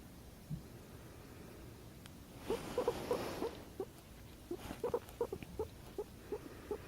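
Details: Pet guinea pig purring in response to its owner's hiccups indoors: a burst of breathy noise, then a run of short, clipped mid-pitched pulses, about two or three per second, growing more spaced toward the end.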